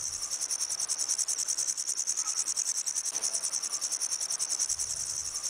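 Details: Steady grasshopper stridulation: a shrill, hissing buzz pulsed in a regular rhythm of roughly three beats per second, unbroken throughout and heard alone.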